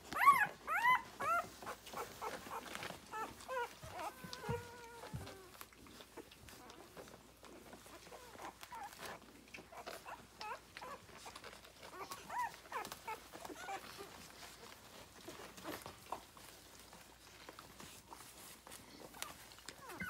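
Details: Rhodesian Ridgeback pups, six days old from a 9/3/2020 litter, nurse on their mother. The strongest sounds are a burst of loud, sharp squeaks and short whimpers at the start. Quieter overlapping squeaks from several pups follow, with rustling.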